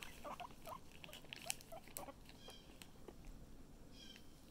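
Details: A few short squeaky notes from Chip, a pet guinea pig on the mend, cluster in the first two seconds amid sharp clicks and rustling, then taper off into quiet background hiss.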